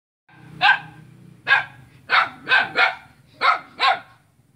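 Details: A dog barking at its own neighbour on Jalan Kolonel Sugiono, Selat, Kapuas, Central Kalimantan, Indonesia, on Saturday 5 August 2017: seven sharp, loud barks in uneven bursts, some paired closely, over a low steady hum.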